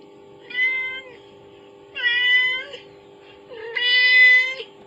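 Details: Kittens respond to a phone playing a mother cat's calling sound; three loud, piercing meows about 1.5 seconds apart, each longer than the last, the final one stretched and wavering, above a faint steady hum.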